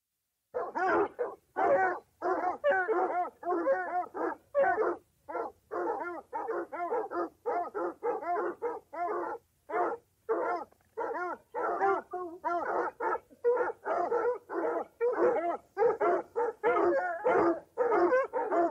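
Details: Dogs hunting or chasing, giving a long run of loud, yelping barks and bays in quick succession, with short gaps and overlapping voices, steady and excited for the whole stretch.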